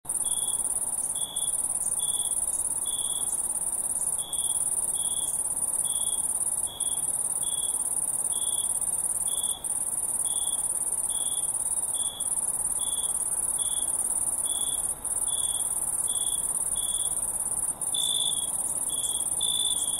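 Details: Crickets keep up a steady run of short, bright, evenly spaced chirps over a continuous thin, high-pitched shimmering trill that runs unbroken through the stretch, recorded at a lakeside with lavender.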